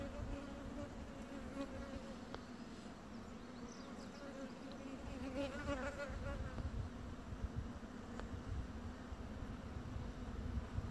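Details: Bumblebee queen (Bombus vosnesenskii) gnawing on wood, giving a continuous low droning buzz with a wavering flare midway, over a rough, crackling scrape of chewing that grows louder toward the end.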